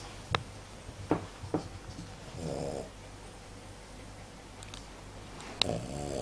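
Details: Indoors, the Cavalier King Charles Spaniel Tenten lets out a single rough snore in its sleep, set among sharp clicks and taps, with a second snore starting at the end.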